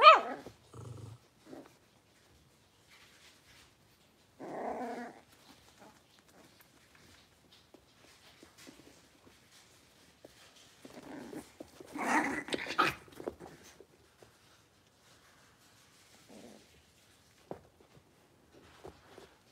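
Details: Blenheim Cavalier King Charles Spaniel puppies, a litter of five born at New Year's, moving indoors to a bigger pen; short gruff barks and growly bursts near five and twelve seconds, otherwise quiet with soft rustles.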